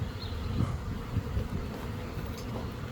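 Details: A swarm of several thousand honey bees in the air, from a hive in an old hot-water heater core, gives a low, steady, droning hum from many wings at once.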